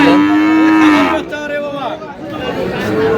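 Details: Bull calves of Friesian and cross breeds at Aftabganj market, Dinajpur: one sustained, even moo lasting about a second, then fainter bellows from other cattle under steady crowd murmur.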